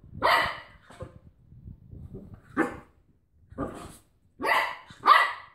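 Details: A Cocker Spaniel wrestling with a washing-tablet carton gives sharp, harsh barks with low rumbling growls in between.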